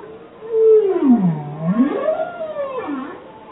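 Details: Bowhead whale song: a long moaning sweep slides down from mid pitch to a low groan, then rises again into a higher wavering note and dips once more near the end. Steady background hiss.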